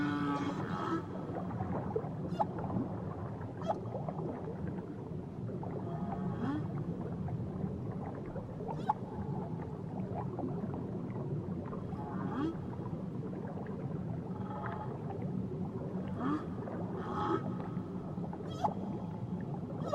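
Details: Whale calls from a journey to Tahiti: faint low moans and brief tonal streaks buried in a dense, continuous underwater rumble and hiss, with watery gurgling throughout.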